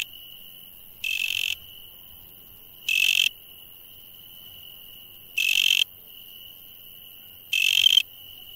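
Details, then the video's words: At night, an insect gives four short scratchy buzzes, each near half a second, separated by gaps of about two seconds, while a continuous high-pitched ringing hum persists in the background. "insect sounds at night"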